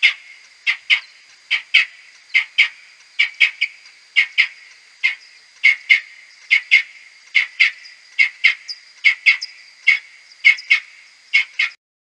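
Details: Whiskered bats calling in a maternity roost within a wooden hide, May 2022; Type A social calls played ten times slower come as brisk, evenly paced chirps, frequently paired, continuing throughout over a faint high background tone.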